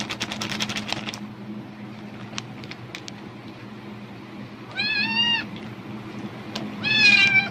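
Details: Domestic cat reacting eagerly to the rustle of a plastic bag, apparently expecting food; crinkling plastic at the start, then two loud, drawn-out wavering meows with rich harmonics after a pause, each under a second long.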